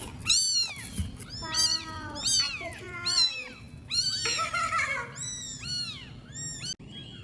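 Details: Homeless baby kittens giving a rapid series of about a dozen shrill, high-pitched meows, each arching up then sliding down, sometimes overlapping, in a small indoor space with a low background hum.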